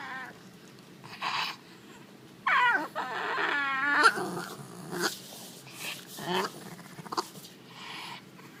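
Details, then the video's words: French bulldog making weird noises, a wavering whiny grumble around the middle, short snorting and sniffing bursts, with a person speaking nearby and quiet room noise between sounds. "French bulldog weird noises"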